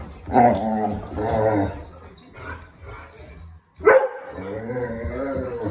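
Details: A Vizsla gives drawn-out, groaning and whining vocalizations with a rough, harmonic tone while playing with a Golden Retriever.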